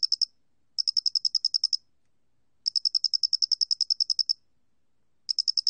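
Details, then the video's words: Loxoblemmus doenitzi cricket, National Institute of Biological Resources recording from 2020: trains of fast, evenly spaced high-pitched ticking chirps lasting one to two seconds, with pauses between trains and no other sounds. "모대가리귀뚜라미, 여러번 듣기, 곤충소리"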